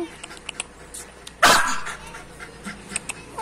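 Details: Lhasa Apso reacting jealously to stray dogs: one loud, sharp bark bursts out midway, with quiet background chatter and light clicking noises before and after.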